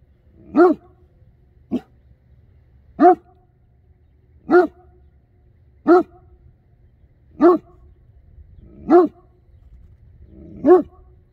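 A Great Dane gives deep, booming barks, one roughly every one and a half seconds.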